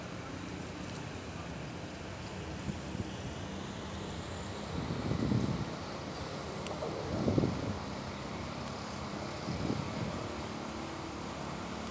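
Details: Steady outdoor wind rush with a low rumble and a few faint murmuring bursts of voices, no animal call heard.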